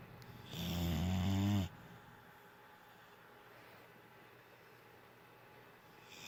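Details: Sleeping dog named Rondo lets out a single loud, rasping snore of about one second, low and buzzy with rough, wavering overtones, then the room falls to a faint steady hiss.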